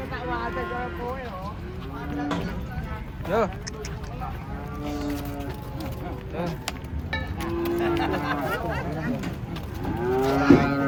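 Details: Huge cattle described as fierce, unloaded from a truck. Short, level moos recur every few seconds beneath constant shouting people and bursts of clanking, with a rising lowing call near the end.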